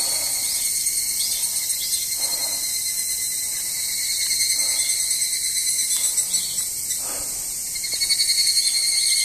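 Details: Evening cicadas beside a parking lot at Izumi Nature Park, recorded 20 August 2012; a dense, steady high-pitched ringing fills the clip, with faint repeated rising-falling pulses on top and no other clear sounds.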